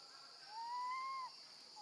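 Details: Left alone with her gentle grandmother, a baby monkey calls for her mom with a single long whistled wail that slowly rises, holds, then drops off sharply at the end, over a steady high-pitched hiss.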